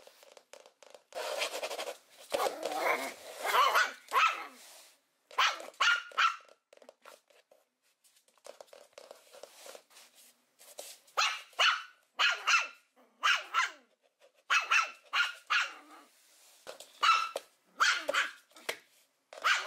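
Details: Young dogs yapping in a compilation, with rough, noisy barks crowded together early on, then clearer high yaps in runs of two or three toward the end.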